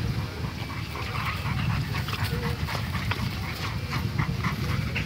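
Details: Fight between a Dalmatian bulldog and a dogo argentino, heard as a steady churn of low grumbling and panting-like noise broken by quick harsh yelps, a brief speaking voice among the clamour.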